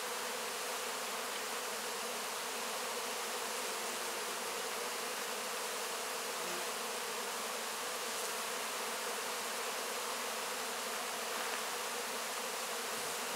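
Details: Many honey bees cleaning up wax cappings after the honey harvest, filmed close-up: a dense, steady buzzing hum with faint low tones under a broad hiss, unbroken throughout.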